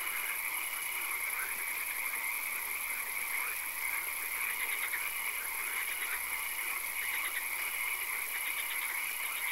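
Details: Swamp at night with occasional rain, frogs calling: overlapping trains of quick pulsed croaks come in bursts every second or so, with a continuous shrill high tone and a soft background hiss.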